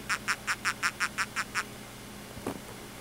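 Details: Ecuadorian hermit crab (Coenobita compressus) in captivity, just molted, chirping when disturbed while taken out for photos. A quick run of eight even, raspy chirps, about five per second, then quiet, a soft thump and a low hum.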